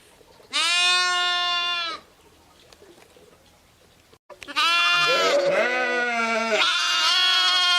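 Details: Sheep, ewes with lambs: one clear bleat lasting over a second, a quiet pause, then overlapping bleats of deeper and higher pitch, some shaky and trembling, running to the end.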